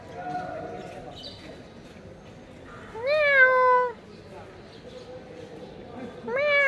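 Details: Black cat meowing, with two drawn-out, harmonic-rich meows about three seconds apart: the first steady then slightly falling and lasting about a second, the second starting at the very end, over low background noise.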